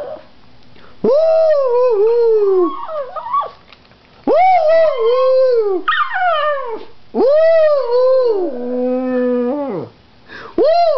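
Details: Pug howling in long drawn-out wails that rise, hold and fall, four separate howls with short pauses between, the last breaking into a higher wavering tone.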